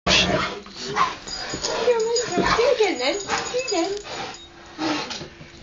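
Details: A soaking-wet Rottweiler "goes mad" in play, urged on by a person. It gives wobbling, moaning whines and short yips that bend up and down in pitch, with the person talking throughout.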